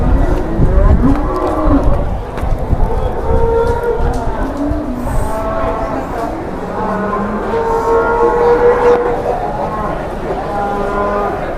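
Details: A very large humped cow in Indonesia lowing in long, low, drawn-out moos, while people shout and talk excitedly nearby and faint music plays.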